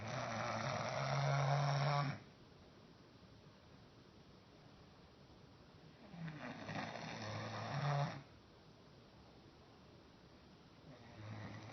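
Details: Roscoe, a dog dozing while standing up, snores in slow rounds: a harsh two-second rumble, a long pause, then another gravelly snore and the start of a third, indoors.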